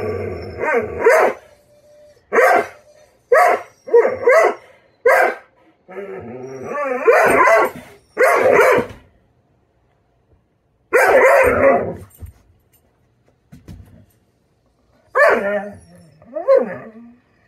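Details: Poupoune, a female Doberman, barks through a tantrum while waiting for a late breakfast; loud, irregular harsh barks come singly and in short bursts, some drawn into whiny yelps, with quiet gaps between.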